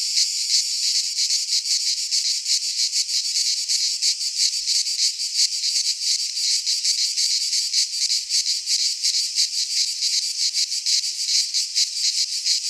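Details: Greek pine forest cicadas in midsummer fill the air with an unbroken, sizzling high buzz, beating in fast irregular pulses throughout, with no other sound standing out.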